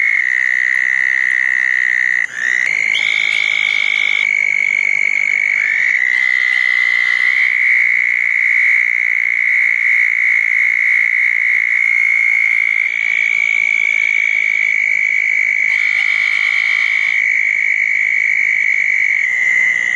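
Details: Southern toads at small dug ponds on a wet night after a June 2014 thunderstorm, giving an unbroken, high, even trill that runs nearly the whole time, with fainter overlapping chirps from other frogs.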